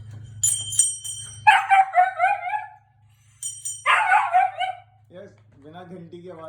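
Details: Husky reacting to a very loud bell with two long bending howls that warble and slide downward, followed by softer, lower moaning cries, over a ringing tone and steady low hum.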